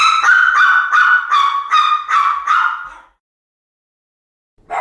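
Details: Domestic dog giving a fast series of about seven high, ringing yelping barks, roughly three per second, each with a clear tonal core. Silence follows, then one final bark.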